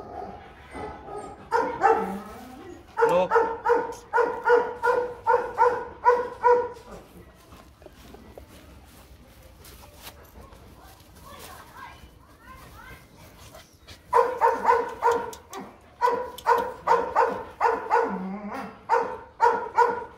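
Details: Rottweilers Bruno and his seven-month-old son Igor together; two bouts of rapid, rhythmic barking several seconds long, separated by a quieter stretch of low voices and movement, barks coming about three per second.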